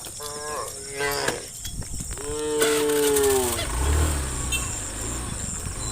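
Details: Cows guided by farm workers towards the farm pen in the morning; a short moo followed by a long, loud, level harmonic moo, then low thumping noise, with a high insect drone in the background.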